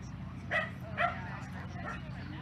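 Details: At the Skaha Dog Show in August 2023, a Sealyham terrier gives two quick, bright barks about half a second apart against a constant low droning hum.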